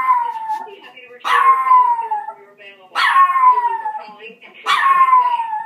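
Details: Puppy howling at a woman's voice on an answering machine, three falling, drawn-out howls roughly every one and a half seconds, each starting with a sharp yelp-like onset, with faint speech from the machine between them.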